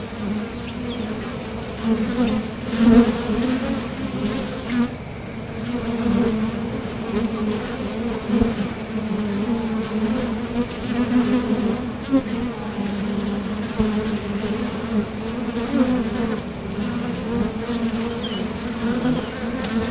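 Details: Steady hum of honeybees flying in and out of a top bar hive entrance on nectar trips, a low droning buzz that rises and falls slightly in loudness throughout.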